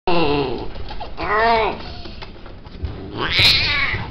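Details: Male cats kept at a cattery and offered for mating. Three drawn-out, arching yowls with rich harmonics, the last one rising and wavering, set against a low background rumble.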